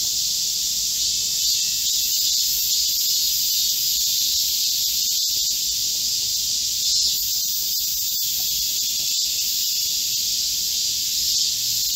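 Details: Chorus of Korean cicadas in a green forest at midsummer, during a heatwave on 25 July 2024: a steady, dense high-pitched hiss and shrill buzzing, unbroken and even in loudness throughout.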